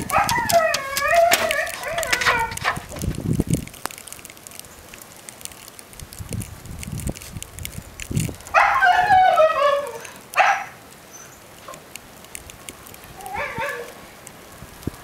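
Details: Mica, a young 'baby sister' Siberian Husky, screams indoors wanting to go back out into the snow of Blizzard Nemo, morning of 9 February 2013, Belmont, MA; two long wavering, warbling high yowls with quieter gaps between.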